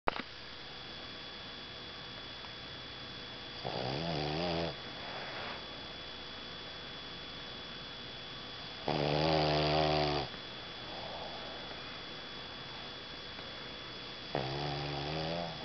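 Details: A sleeping female Boston Terrier snores in slow, rasping bursts spaced several seconds apart, her tongue sticking out.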